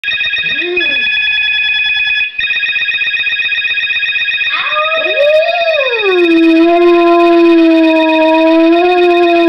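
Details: Pet dog at home, howling along to a telephone; after short rising yelps, it settles into a long sustained howl that slides down and then holds a steady tone, with a beeping electronic telephone tone sounding throughout.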